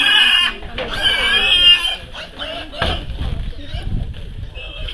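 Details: Weaned piglets being handed out by mayor Szirbik Imre to 25 people at 7 a.m. on a Friday outside a produce shop on Szalai utca, Szentes; loud, strained, high squealing for nearly two seconds, then voices and clatter.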